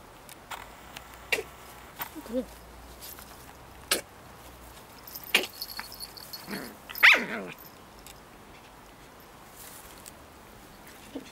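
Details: Two dogs, Pip and tiny female Bracken, play-wrestling over a twig in 2013 as Pip goes into "Tornado Mode"; short harmonic barks and yelps near the start and a louder burst midway, with scattered clicks and scuffling between.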